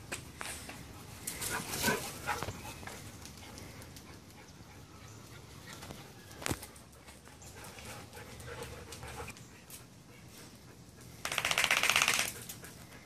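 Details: Roxy, a small Teddy Roosevelt Terrier, racing around excitedly after her bath, filmed 1 August 2014 on a Samsung Galaxy Note 3: irregular breathy, noisy bursts and scuffling, with a loud rushing burst near the end.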